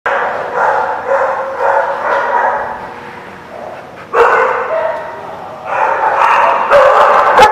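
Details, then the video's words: Dogs at a place called the Barking Lot, recorded 11/3/17, barking in dense, noisy overlapping bursts that ease off mid-way, then return louder and harsher after about four seconds, with some voices mixed in. "The Barking Lot"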